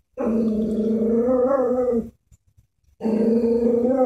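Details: Chihuahua, scared of a stuffed toy horse, gives two long, steady, tonal growls. The first lasts about two seconds and the second starts after a short pause, both even in pitch, with faint rustling in between.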